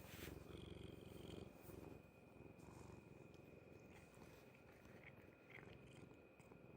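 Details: Stomach noise of a cat, a low grainy throb of rapid pulses that is loudest in the first seconds, then settles into a softer, even rumble.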